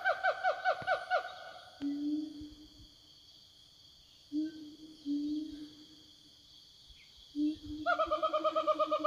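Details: Wild siamangs in forest calling to each other: a rapid run of ringing, falling notes, several low hoots, then another fast ringing series, about two notes per second, over steady insect drone.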